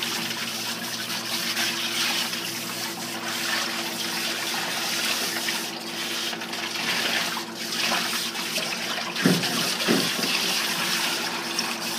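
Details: Steady running water from a tap or recirculating hose sprays and splashes during a dog bath, with a constant low hum underneath and no animal voice.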